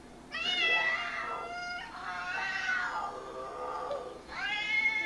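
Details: Domestic cat answering meows played from an iPad: three long, drawn-out harmonic meows, the middle one wavering and sliding downward, the last rising sharply at the end, in a quiet indoor room.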